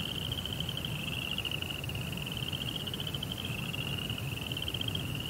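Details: Crickets at night, heard as one continuous high, rapidly pulsed trill that dips and lifts slightly in pitch, over a steady low rumbling background hum.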